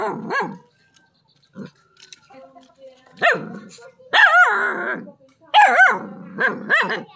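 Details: Dog barking on seeing a snake, described as a non-venomous snake locally called the frog snake. Irregular sharp barks with some drawn-out, whining yelps, separated by short pauses, with faint background sounds between.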